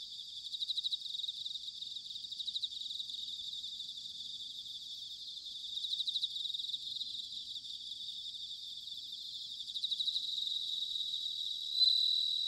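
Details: Autumn bell crickets recorded in Sanuki, Chiba Prefecture, Japan: a long, steady chorus of high shimmering trills with regular bursts of pulsed chirps every couple of seconds, and one louder ringing note standing out near the end.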